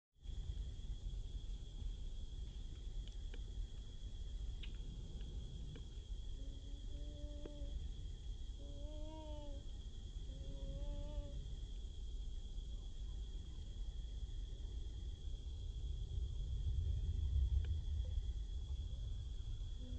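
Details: A wild baby monkey, after crossing water, calls while searching for its friend: a short series of tonal, arched calls with faint harmonics in the middle of the clip, over steady low rumbling background noise.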